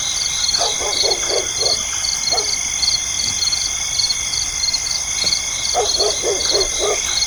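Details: A dense night chorus of insects gives high, rapid pulsing chirps, and dogs bark in two bursts of lower, rhythmic calls, one near the start and one toward the end.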